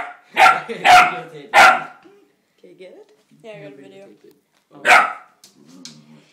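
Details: Female Seeing Eye puppy in training, upset at the puppy in a mirror. She gives three rapid loud barks, then soft whining and muttering, then one more sharp bark. Faint human voices can be heard in the pauses.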